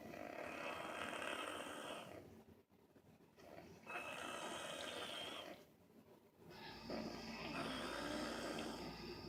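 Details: Snoring dog named Angel Bear, dozing again, gives three loud, harsh, rattling breaths of roughly two and a half seconds each, with short near-silent gaps between them and a thin whistling overtone.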